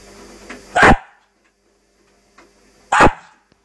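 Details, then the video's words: Cairn terrier indoors, afraid of the washing machine, giving two sharp single barks about two seconds apart, with a steady low machine hum underneath and quiet between. "afraid of the washing machine"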